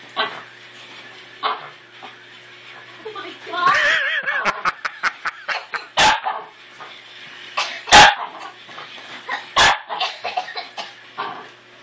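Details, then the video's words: Pet dog Scuttle freaking out and trying to kill his new toy puppy: a wavering whine builds into a burst of quick yips, then a few loud, sharp barks spaced a second or two apart, with people talking throughout. "Dog freaks out over toy puppy!"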